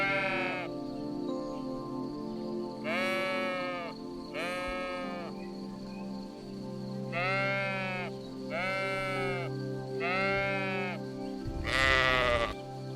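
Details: Sheep bleating: seven wavering, nasal bleats, each about a second long, spaced a second or two apart, over steady background music.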